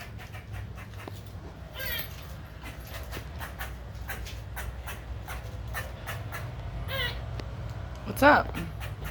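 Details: A squirrel harassing an unbothered pet cat gives sharp, clicking chatter in scattered bursts while a person talks; the owner wonders whether it is sick.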